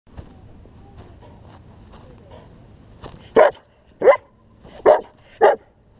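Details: German Shepherd barking during protection work: after about three seconds of quiet shuffling and faint background noise, four loud, sharp, deep barks follow, spaced roughly every half second to second.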